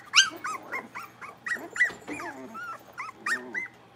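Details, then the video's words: Playful blenheim Cavalier King Charles Spaniel puppies in an indoor pen; a quick tumble of squeaky yips and bent whimpers, mixed with low grumbling growl-like sounds, about four seconds of rough-and-tumble noise. "Cavalier Puppies Livestream: Playing, Barking, and Learning"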